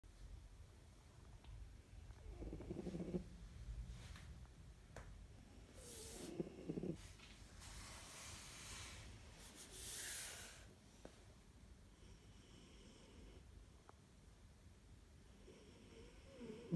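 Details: Siberian cat named Lexi snoring while napping in a cat carrier at lunchtime. Soft, low rumbling snores come in irregular bursts, several seconds apart, with a few brief rustles in a quiet room.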